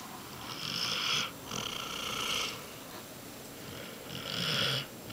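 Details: Basset Hound named Lilly, a female, snoring while asleep; breathy rasping snores in long rhythmic pulses of about a second each, separated by quieter gaps.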